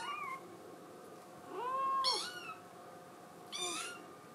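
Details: Scottish Fold kitten crying because it wants to go outside, indoors: drawn-out meows, one long arched cry near the middle and a shorter rising one near the end.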